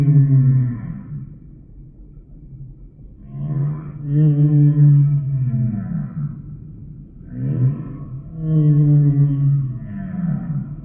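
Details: Humpback whale song: a series of deep, resonant moans with bright overtones, some sliding up or down, repeated in swelling groups over eleven seconds of underwater background.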